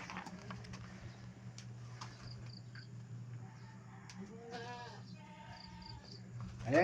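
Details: Pet goats kept near the owner's house give one short, quavering, wavering bleat past the midpoint, then a fainter second bleat follows, all over a steady low hum and soft background noise.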